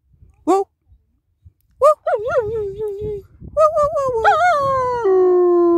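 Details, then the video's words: German Shepherd dog starting to sing: a few short sharp yips, then wavering, yodelling whines that build into a steady sustained howl at the end. "German Shepherd bursts into song!"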